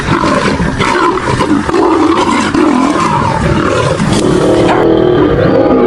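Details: Male lion battling to rescue a female lion; intense, raspy roars and snarls in rapid overlapping bursts, sustained at full strength over the whole few seconds.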